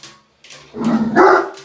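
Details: A large male Doberman foster with mange and ear infection, during a medicated bath on 23 October 2018, gives a single short, rough bark on hearing other dogs, called wimpy for his size.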